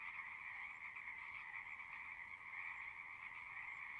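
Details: A massed frog chorus of natural sounds: rapid overlapping trills form an unbroken high drone in two layers, loudness gently rising and dipping but never stopping.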